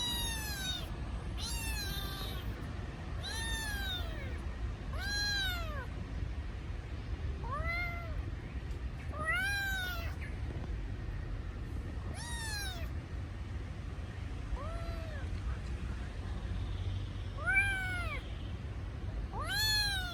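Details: Kitten crying for its missing mother: short arched meows with rich harmonics, repeated every one to two seconds, some gaps, over steady low background rumble.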